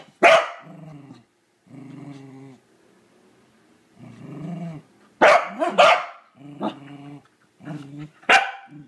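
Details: A corgi that hates the toilet brush gives long, low rumbling growls, each about a second, broken by sudden loud, harsh barks, some doubled in quick succession.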